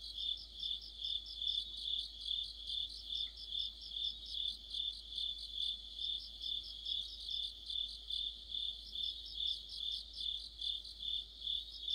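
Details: Deep-autumn insect chorus of crickets and others: high, shrill continuous ringing punctuated by rhythmic chirp bursts repeating roughly every half second, layered in uneven groups, with a quiet low hum underneath.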